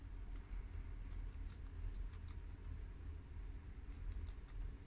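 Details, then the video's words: Four pet guinea pigs, males Shiro (tri-colour American) and Crash (red American), females Cookie (long-haired mini yak) and Peanut (Abyssinian), eating freshly washed garden romaine lettuce: soft crisp crunching clicks scattered irregularly over a steady low hum. "Adorable Guinea Pigs Eat Romaine Lettuce for 10 Minutes!! Cute Munching Sounds!!"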